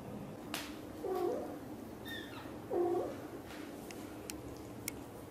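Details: Indoors, British Shorthair mother cat Xaxa, blue golden, talks to her tiny kitten Piano with two soft, level, murmured trills about a second and a half apart, along with faint clicks and taps.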